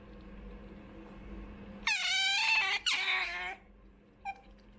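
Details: Choco, a female pet otter born 28 November 2019 and raised after her mother was trapped and died, begging for food: two loud, shrill, wavering squeals back to back, then a faint chirp, over a low indoor hum.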